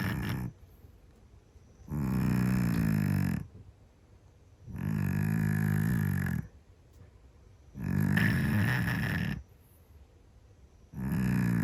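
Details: Very loud snores from a sleeping Scottish Fold cat, each a long throaty rasp with a gritty upper edge, returning steadily about every three seconds with near silence between.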